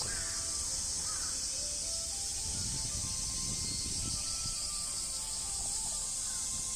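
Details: Japanese cicadas (semi) in summer in Japan, males calling loudly from trees near damp areas. A continuous, high, hissing buzz holds steady throughout, over a faint low rumble and a few faint tonal sounds.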